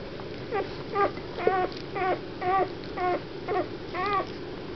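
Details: Weimaraner puppies from a litter born 1 April 2009 at Mladkov u Boskovic, Czech Republic, give high, wavering whimpers about twice a second in 2009.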